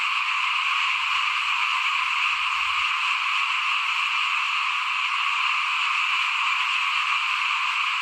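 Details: Small frogs calling in front of a house at rice sowing time, 2021: a dense, unbroken, buzzy chorus spread across mid to high pitches, steady throughout with no pauses and no other clear sounds.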